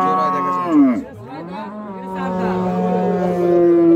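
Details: Improved-breed dairy cows at the Raniganj cattle market, Bangladesh, 17 November 2025. A moo breaks and dips sharply, then a long, steady low bellow swells toward the end over murmuring crowd noise.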